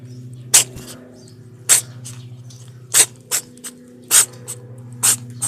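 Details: Black kitten that cannot stop sneezing, giving six sharp, hissing sneeze bursts about once a second, with a few softer snorts between them, over a steady low electrical hum.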